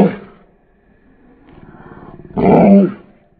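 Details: A Mastiff puppy that thinks he is tough growls low and rumbling, then lets out a single loud, hoarse bark.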